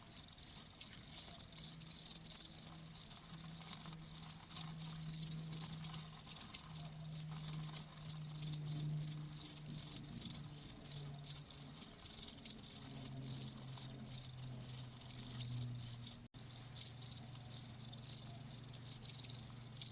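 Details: Crickets presented as a soothing nature sound for tinnitus relief, chirping steadily in a high, dense band, pulses repeating rapidly and overlapping throughout, with a faint low hum underneath.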